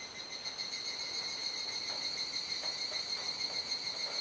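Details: Cicadas massed in an evening chorus at dusk, around 19:11–19:25 on July 17 in Kuji, Iwate, Japan, rainy season; an unbroken, high-pitched, buzzing hum with stacked steady tones and occasional soft taps beneath.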